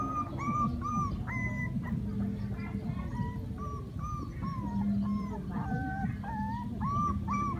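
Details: Puppies at play give thin high whines and wavering cries, several short rising and falling squeals over a constant low rumble.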